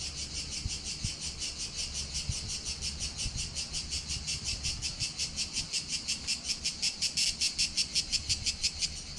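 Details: Greek cicadas singing in July 2020 on Corfu island at Palaiokastritsa, recorded with a GoPro Hero7 Black: a high, hissing buzz pulsing rapidly about three times per second, growing more regular and louder toward the end, faint low rumble beneath.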